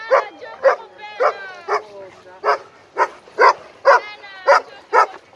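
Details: Two dogs, an 11-month-old Irish Wolfhound and an Italian Mastiff, playing together at a dog park. Loud, rough barks come about twice a second in a steady series of harmonic bursts, with no other sounds standing out.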